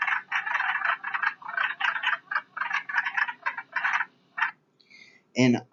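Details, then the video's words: Wood frogs chuckling in a recording, a busy overlapping run of rough, clucking croaks in quick irregular bursts that thins out near the end, where a human voice cuts in. "here's a chuckling wood frog"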